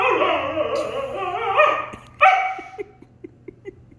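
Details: Appa the Siberian Husky in an argument with German Shepherd Arlo. A sustained warbling howl is followed by a sharp, higher yelp and a series of faint soft ticks.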